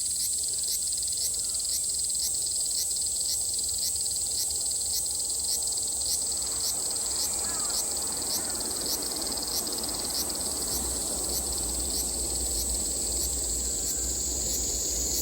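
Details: Japanese summer cicada chorus recorded in 2022, a continuous high-pitched electric whine with a soft rhythmic pulse, carrying on unbroken over a low rumbling background noise that grows toward the end.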